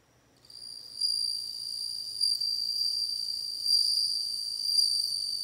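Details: Bell cricket singing: a steady, high, pure ringing tone with a fainter overtone above it. It starts after a short quiet moment and carries on with slight swells in loudness.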